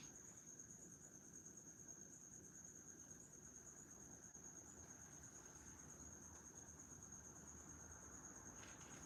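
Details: Steady high-pitched cricket trill carrying on continuously in the background of a quiet indoor space, with a faint low hum underneath and no voices.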